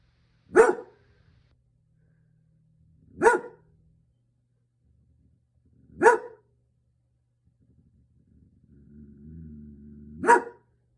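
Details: Female German Shepherd barking to protect her house from the garbage truck: four sharp single barks spaced about three seconds apart, with a low engine rumble from the truck before the last bark.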